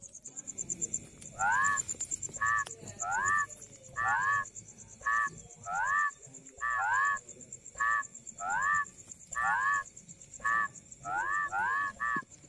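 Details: Rice field frog giving a regular series of short, rising, nasal croaks roughly every half second to second, some doubled, with a constant high insect-like whine and faint low rumble behind.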